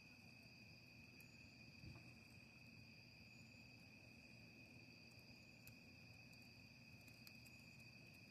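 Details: Crickets at a campsite with a campfire, outdoors at night: a steady, unbroken high-pitched trilling chorus, with occasional sharp clicks and a low background rumble.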